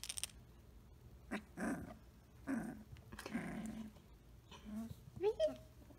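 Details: Three-week-old Samoyed puppies indoors, walking and playing: several short, rough grumbling vocal bursts spaced about a second apart, then a thin rising squeaky whimper near the end, with light rustling between calls.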